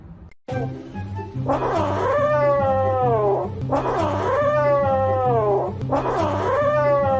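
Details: Kitten giving long, drawn-out wailing meows, three in a row. Each one rises, then slides down, and the meows follow closely one after another. Steady music with a pulsing low beat plays loudly underneath.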